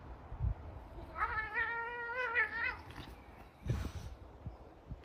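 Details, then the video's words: Angry domestic cats in a household fight, with Apollo being told to leave the other alone: one long, steady, wavering caterwaul lasting over a second, followed by thuds and scuffling. "cat sound angry sound effect"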